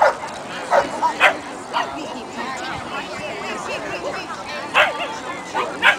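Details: King Charles Spaniel at an agility trial competition in Old Westbury Gardens, New York: short sharp barks in scattered bursts, several close together near the start and more near the end, with people talking throughout.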